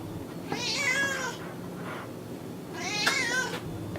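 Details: Cat meowing from a soothing kitten mix: two drawn-out harmonic meows, the first slightly rising then falling, a soft faint call between them, low background hum throughout.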